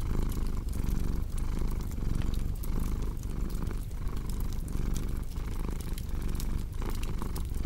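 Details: Strong, low cat purr rising and falling in steady breathing cycles, with a few soft fireplace crackles in the background, arranged as relaxing ASMR for sleep.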